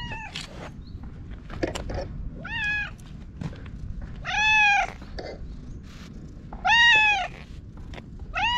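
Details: Orange tabby stray cat meowing while rubbing against a person, filmed on a GoPro; three clear arched meows with rich harmonics, spaced about two seconds apart, with handling noises and brushing sounds between them.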